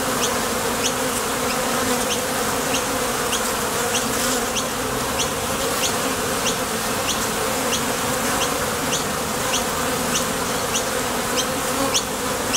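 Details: Many honey bees coming and going at a top bar hive entrance while foraging for nectar, landing and taking off; the wing hum stays continuous, low and even, and soft high ticks recur roughly every half second.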